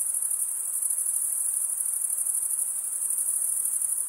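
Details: Stridulating crickets, mostly males, produce a constant piercing trill high in pitch, finely pulsed and unvarying across the few seconds, against an otherwise quiet background.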